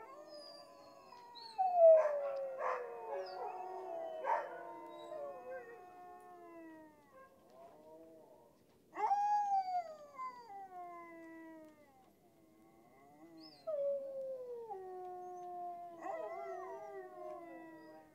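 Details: Siberian Husky dog team giving separate drawn-out howls in bursts: an opening cluster with yelps, then long descending wails after pauses, quieter stretches between the outbursts.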